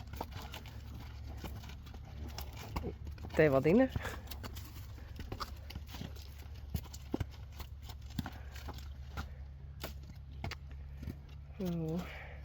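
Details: Friesian horse giving a short quavering whinny that rises and wavers, then a softer second whinny near the end, over low rumbling background noise and scattered clicks.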